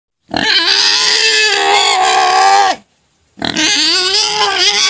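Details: Pet pig crying, a pig that quiets down once fed sugar cane: two long, loud, harmonic squeals, the first about two and a half seconds long and held steady before dropping, then a second starting after a short silence.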